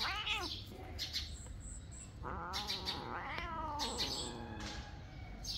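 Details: Kittens biting and playing with other cats give a series of rising-and-falling meows and drawn-out yowls, several overlapping, with a high chirping sound in the background.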